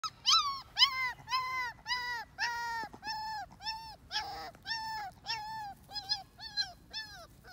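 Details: Male American Pit Bull Terrier puppy, white with patches, born to imported parents, whimpering in a steady series of high, thin, slightly rising-then-falling whines, about thirteen in under eight seconds, with quiet pauses between.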